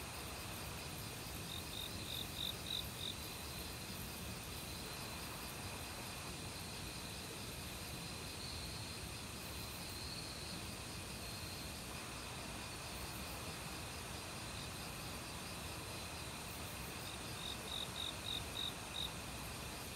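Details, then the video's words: Crickets heard in an autumn forest among various insects by a stream. A group of high, clipped chirps appears early and another near the end, with a constant high insect trill and water noise between. "가을 귀뚜라미 소리"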